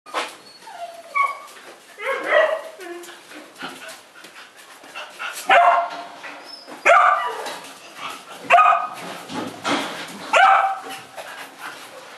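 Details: Several one-month-old Ibizan hound puppies, filmed 25 August 2011, giving short high yelps and squeaky whines in irregular bursts, some overlapping, with small scuffling noises between calls.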